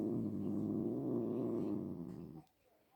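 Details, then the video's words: Pet cat giving a steady, low, throaty rumble that holds evenly for over two seconds, then fades out and stops, leaving near silence in a small room. "My cat making sounds"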